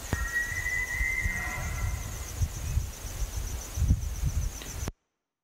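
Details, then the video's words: Elk bugling: one long, high, whistled tone held steady for about two seconds, then low rumbling thuds and a steady high insect trill behind it before the sound cuts off abruptly. "Elk Bugling"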